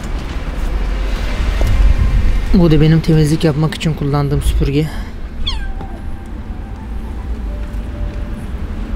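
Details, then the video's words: Abandoned street kitten crying as a rescuer talks to it and offers sausages. A voice speaks first, then a single high, falling meow sounds against low traffic noise. "Abandoned Kitten Crying At The Street"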